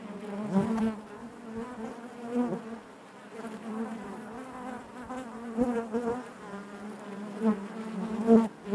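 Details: Natural buzzing of honey bees in their hive: a dense, low, vibrating hum with shimmering overtones, pulsing louder and softer in irregular waves and ending on a strong close buzz.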